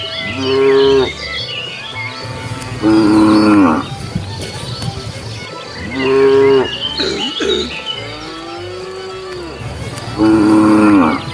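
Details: Wandering cows on a road looking for food call in five strong moos spaced two to three seconds apart, with a softer sliding low between them and a low rhythmic pulse in the background.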